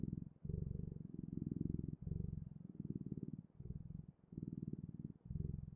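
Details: Close, deep purring from a cat, a throbbing low rumble that swells and dips with each breath, in phrases of about a second separated by short pauses.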